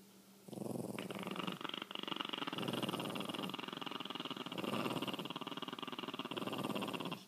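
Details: Pet Chihuahuas in a standoff over the best spot on the couch growl continuously, a rough, pulsing, buzzy rumble held for several seconds with brief dips in between, set against a quiet room.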